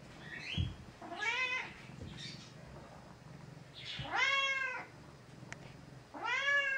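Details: Vocal female gray tabby cat at home, confined for a few days while under the weather and taking medication, gives loud plaintive meows: a short one, then two long wavering cries about two seconds apart, in a small indoor room.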